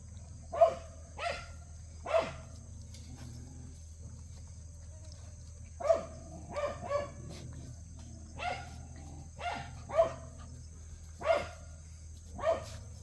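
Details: Around a dozen shrill puppy barks from Cheondori's litter during play, scattered with a quiet four-second pause, then a quick triple burst and steady barks every second or so; low hum throughout.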